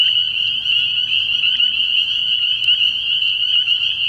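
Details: Early-year nighttime frog pond packed with spring peepers, their piercing high peeps overlapping into one continuous shrill whine, a few louder single peeps standing out now and then.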